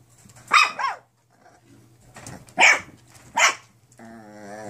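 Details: Nine-week-old foster puppies of mixed breed yapping three times in high, slightly wavering barks, followed by a sustained tonal whine at the end, a steady low hum throughout.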